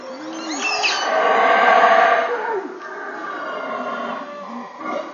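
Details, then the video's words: Howler monkey recorded at Caracol, Belize: a deep, rasping roar that swells to its loudest around two seconds, then carries on as a lower, steady growling howl, with a brief higher rising cry near the start. "Howler Monkey"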